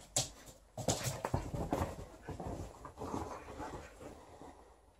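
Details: Female Alaskan Malamute Liza battles her old fish toy indoors while shedding; uneven panting and low whimpering sounds with thumps and rustling from the play.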